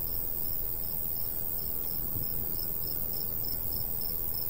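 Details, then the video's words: Chirping crickets in golden wheat fields of the summer countryside, a regular, bright pulsing pattern over a continuous low breeze. "Countryside/cricket sounds"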